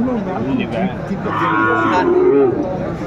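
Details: Sahiwal bulls on sale at a cattle market in Aftabganj, Dinajpur, Bangladesh, 28 January 2025. A brief moo rises mid-clip and then falls, half buried under men's bargaining voices and crowd noise.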